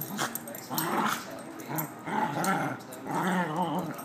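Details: Puppies playing: rough, throaty play growls in repeated bursts about every second, with a few higher yips mixed in.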